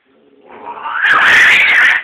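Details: Two house cats fighting indoors; a single loud drawn-out yowl that swells from a low moan into a harsh, strained, wavering wail and holds at full strength to the end.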